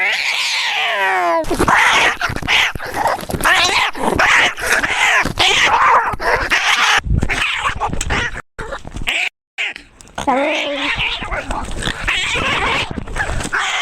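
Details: Maxwell, a tabby cat, lets out a falling, harmonic-rich scream lasting over a second, then a jumble of rough, overlapping yowls and noisy bursts with brief silent gaps.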